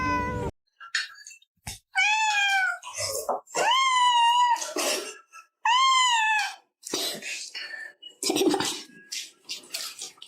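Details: Pet cat meowing back at its owner in a back-and-forth exchange about food; three long, loud, wavering meows with rising then falling pitch, separated by short gaps, amid clicks and a person's voice.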